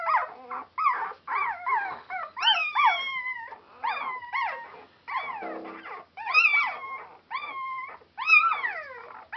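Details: Border Collie pups only four days old, very noisy, calling together on Super Sunday 2012; repeated piercing squeals that climb sharply then fall, roughly every half second, in bursts from several puppies, with brief quiet gaps.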